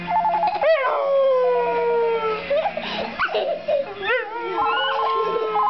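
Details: A female dog, never heard doing this before, howls in long, sliding notes in answer to a beeping electronic "Crank" ringtone melody.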